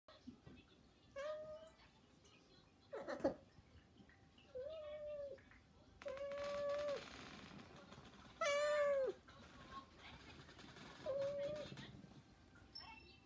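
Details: Three pet cats beg loudly, meowing daily and even waking the owner, during the cat breeding season. Short, bent meows come every few seconds, some rising then falling, one longer and louder. Indoor knocks and rustling are also heard.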